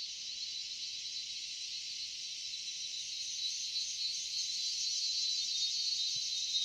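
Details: Crickets calling in the quiet Dalma forest of Jharkhand: a dense, steady high-pitched trill, continuous and slightly growing louder, with no other clear sounds.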